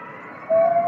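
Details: A grey wolf in a forest begins a howl, a smooth, steady, mid-pitched tone that holds level; the howl draws responses from across the forest.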